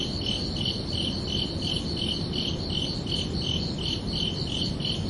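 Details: Crickets chirping at night under a summer evening sky: a steady series of high, pulsed chirps, about two and a half per second, ringing over a constant low rumbling background hiss.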